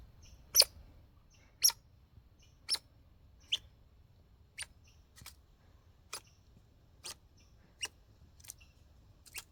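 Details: Hiccup-like calls from a backyard squirrel, sharp bright ticks about once a second fading gradually in strength, with faint higher chirps between them and a low steady background rumble.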